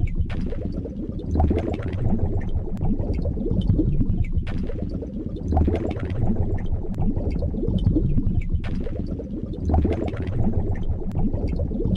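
A dense, low bubbling rumble like boiling water repeats in a steady loop, with no animal voice.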